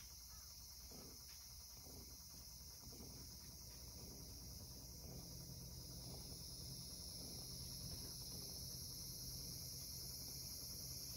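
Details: On a summer evening in Japan, a steady, high-pitched cicada drone hums without pause beneath a low rumble and faint household clatter, while a cat lies on an earthen floor.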